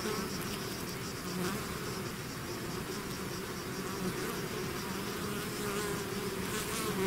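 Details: Continuous buzzing of a honeybee-style swarm leaving its hive, a layered low drone that swells slightly toward the end as bees fly nearer, steady and unbroken.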